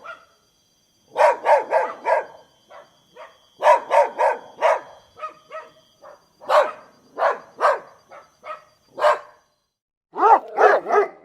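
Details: Dog producing rapid, rough barks in clusters of three to five with short gaps, plus occasional softer yips; a faint high steady whine sits behind the barking.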